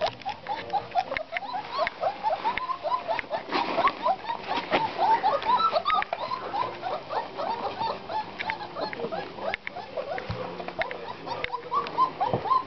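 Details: Litter of 26-day-old Black Russian Terrier puppies, seven males and three females, squealing and whining in a busy overlapping chorus of short rising yelps, with scuffling and patter throughout.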